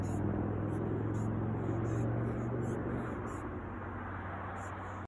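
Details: Saperda carcharias, the large poplar longhorn beetle, sounding loudly as it tries to bite. Rapid, rasping high squeaks come in brief pulses, clustered early then spaced out, above a constant low hum.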